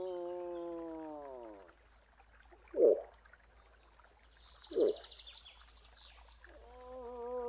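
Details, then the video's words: Moose sounds: the tail of a falling moan, then two short, sharp grunts a couple of seconds apart, and a fresh moan beginning at the end. Birds chirp faintly in the background. "Eland geluid / Elch geräusche / Elch röhren / Verso alce"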